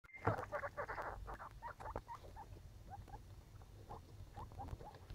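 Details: Baby skinny pigs from a litter, giving short squeaky chirps in irregular bursts that fade to softer, spaced squeaks, over low background rumble.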